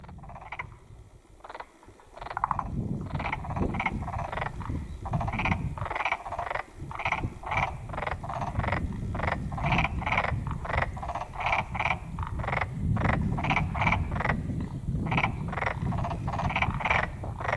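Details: Black-spotted pond frogs calling in a chorus: short pulsed, rattling croaks repeated rapidly and overlapping, roughly three per second, over a steady low rumble of background noise.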